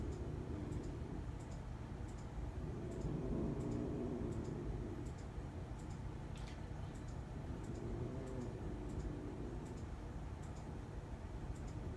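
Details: Quiet indoor room tone with a low hum and a regular series of light ticking clicks, like a clock or tapping, and no animal voice.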